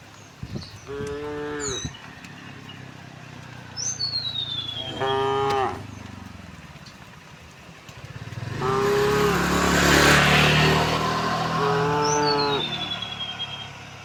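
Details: Tame cattle heading out to a wide field at morning moo four times, spaced a few seconds apart. Birds give sliding whistles, and a loud rushing noise swells in the middle.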